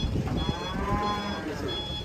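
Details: Furious cattle, about to be sold, give a low, drawn-out moo at an even pitch over a murky, noisy background.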